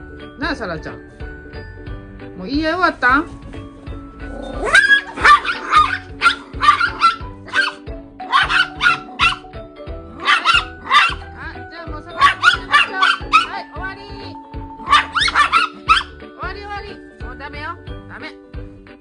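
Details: A female toy poodle and her visiting dog friend begin fighting while playing together. A person speaks briefly, then rapid, overlapping yapping barks come in dense runs over steady background music.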